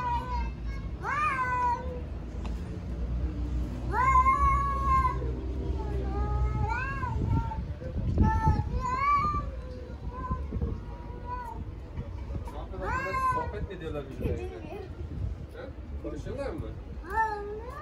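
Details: Stray domestic cats in Istanbul challenging each other over territory: loud, drawn-out meows that bend up and down in pitch, overlapping one another in bursts several seconds apart, with low rumbling background noise and some human voice.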